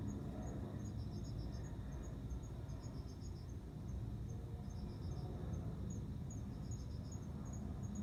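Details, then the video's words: Courting male cricket calling a female before mating. Clipped high-pitched chirps of several rapid pulses repeat every second or two. A faint high ticking continues throughout, over heavy low-frequency background noise. "コオロギの交尾 雄の鳴き声に惹かれて雌が応じる瞬間"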